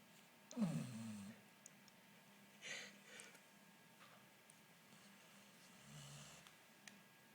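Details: Pet dog Mulan, nicknamed Miss Piggy, asleep indoors: one short, snorting snore near the start, then softer breaths and a faint low snore toward the end, with small household clicks in between.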